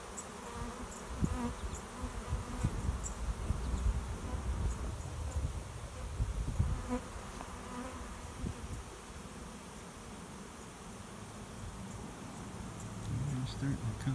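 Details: Swarming honey bees gathering at a nuc swarm box behind a garage, finding a new home; a thick, low buzz surges and fades repeatedly as bees pass near, over a constant background drone.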